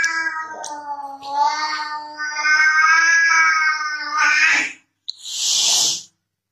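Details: Baby domestic cat in a funny compilation holding a steady, drawn-out meow for several seconds that swells in loudness and breaks off, followed by a short burst of hissy noise.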